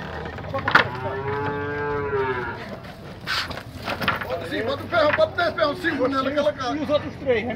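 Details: Nelore cattle in the cattle corral at a livestock fair in Tabira, Pernambuco, Brazil: a long, drawn-out moo, steady then gently falling, followed by a run of shorter, wavering lowing calls, with men's voices and clatter around the pen.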